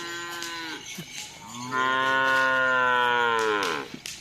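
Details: Cattle at bull race training (karapan sapi) on a field at Asemanis, Pamekasan, preparing for an event: a short lower moo, then a long, loud, richly harmonic bellow lasting about two seconds that rises slightly and falls away, with faint background noise.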